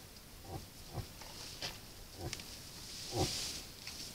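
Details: A moose at a salt lick, caught on a camera trap during the rut, gives short, deep grunts spaced irregularly.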